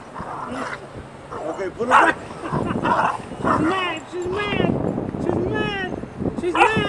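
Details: Bella, a three-month-old puppy, angry while playing outdoors, gives a run of high, bending yips and whiny barks in short bursts, with a person's voice talking between and over them.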